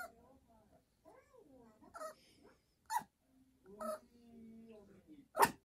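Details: Choco, a Yorkshire Terrier, nags its owner to come to bed with a rising-and-falling whine, a long level whimper, and a few abrupt squeaky yelps, heard against soft room noise.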